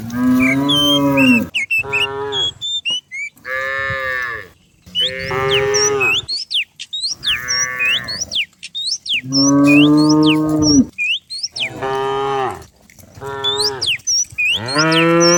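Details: Morning countryside scene as dozens of cows run down a hill while being herded. A steady series of about eight loud, rich moos, each one to two seconds long with short gaps between, and thin bird chirps above.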